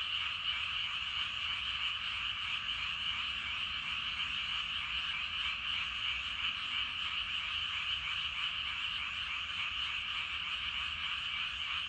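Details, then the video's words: Evening frog chorus from rice paddies, where huge numbers of frogs seem to be calling together; an unbroken, pulsing wall of trills holding level and density for the whole stretch, without voices or other animals. "저녁때 논에서 개구리 울음소리가 대단합니다."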